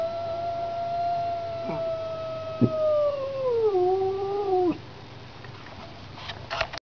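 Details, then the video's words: House cat encountering a street cat, giving a drawn-out yowl that slides gradually lower in pitch with a wobble before breaking off. A quieter stretch follows, with faint scuffing noises. "home cat vs street cat"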